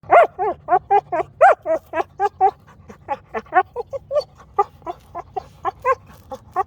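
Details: A female Rottweiler making noises at her rock gives a rapid run of high, wavering whines and yips, several each second.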